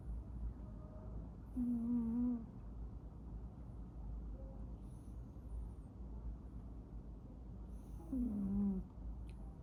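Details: Sleeping house cat snores in two drawn-out breaths about six seconds apart, each a buzzy, slightly whistling tone that wavers and then drops, with a quiet, low hum filling the gaps.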